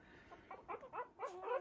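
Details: Three-week-old Havanese puppies at play in their whelping box; a few wavering, whiny whimpers and yelps in quick succession, rising and falling in pitch.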